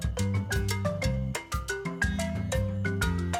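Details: Lively marimba-like mallet percussion music plays throughout, with bouncing bass notes and no animal sound.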